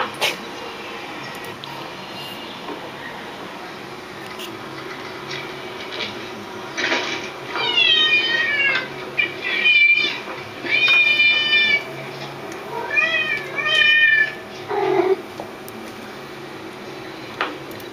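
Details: Domestic cats indoors meowing along while listening to other cats meowing; a quiet opening, then a run of harmonic, wavering meows from about seven to fifteen seconds, several rising then falling, some overlapping.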